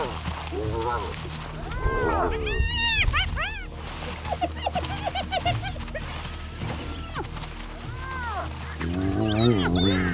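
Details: Twelve wild spotted hyenas feed tensely on a tiny antelope, Liuwa Plains, western Zambia, hungry after nearly a week; overlapping arched squeals, rapid stuttering giggle-like notes and whines tumble over one another above a low droning musical backing.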